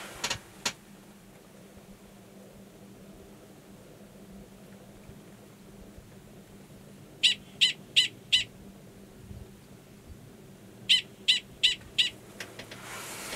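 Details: Male Gunnison's prairie dog, numbered 45, giving a mating call near a burrow holding an estrous female, Valles Caldera National Preserve, New Mexico, March 2017. Two bursts of four sharp high chirps, about three per second, separated by a quiet gap.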